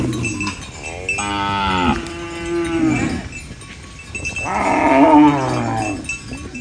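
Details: Two strong, harmonic moos from farm cows feeding on banana leaves, the first drawn out and steady, the second louder and wavering, with a quieter pause of rustling between.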